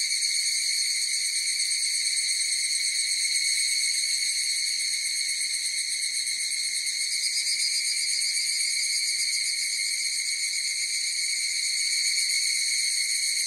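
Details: Massed higurashi cicada song, a shrill, stacked ringing that stays even in pitch, lightly throbbing in rhythm, with a brief brightening of the upper tones midway; no other sounds.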